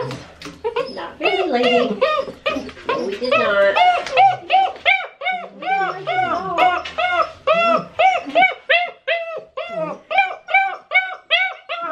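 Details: Six-week-old Great Dane puppies crying through their first bath, which they hated, indoors in a small room; high, arched whimpering yelps follow one another rapidly, nearly three per second, in a steady series, with brief human talk at the start.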